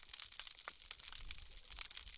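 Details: Snapping shrimp fill the water on a rocky reef with a dense, sharp crackle of countless overlapping clicks, in an underwater recording made the previous year.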